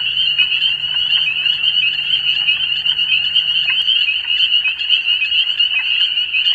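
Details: A dense spring chorus of spring peepers (reinette crucifère) in Canadian countryside with fallow fields, regenerating woods, small marshes and streams forms a continuous wall of very high, shrill peeping notes.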